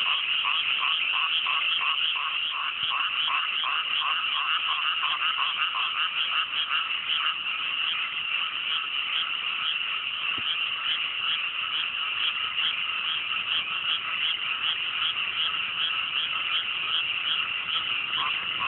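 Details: Massed frog chorus on a clear night in a cool mountain rice paddy just after rice planting: dense overlapping croaks and trills, with quick pulsed notes repeating early on, forming a steady unbroken wall of sound.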